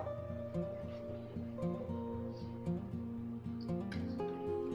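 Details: Plucked acoustic guitar music plays a steady, repeating pattern of notes, with no animal sound present.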